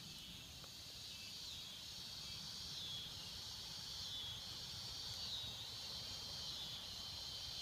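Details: A steady, high-pitched cicada drone in a swamp that hisses on without pause and swells and fades slightly.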